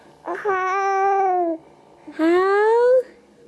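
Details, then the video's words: A lamb bleats twice indoors: a long, steady, nasal call of over a second, then a shorter one that rises slightly in pitch, with quiet room background between. "lamb noises"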